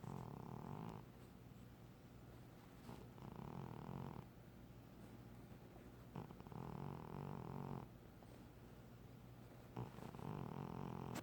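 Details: A sleeping female domestic cat snoring like a human: soft, low, rumbling breaths in slow cycles with long buzzy stretches and brief quiet gaps, recorded quietly indoors.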